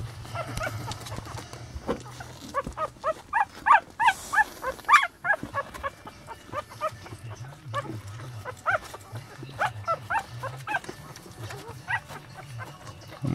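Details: A litter of eight newborn Lhasa Apso puppies, born on Elvis Presley's birthday to their mother Sweetie Pie, squeaking in thin, high, arched cries that come in quick bursts of about three per second over a steady low hum.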